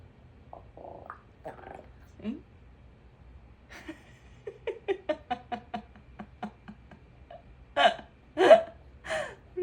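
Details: Sleeping puppy talking in its sleep, giving a run of short, soft hiccup-like pulses that repeat roughly every third of a second in the middle, then a few louder, fuller yelps near the end; quiet room otherwise.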